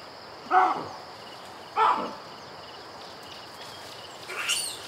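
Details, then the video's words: Baboon calling within a safari ambience: two loud, short, barking calls about 1.2 seconds apart, followed by a fainter, higher call near the end, over steady hiss-like natural background. "BABOON CALLING IN SAFARI AMBIENCE SOUND EFFECT (HD)"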